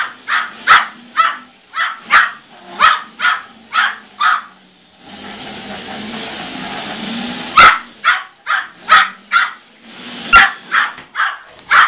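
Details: Tiny one-year-old Yorkshire Terrier chasing a car, giving sharp, high, evenly spaced yapping barks roughly every half second, interrupted midway by a broad hiss of passing vehicle noise before the barking resumes.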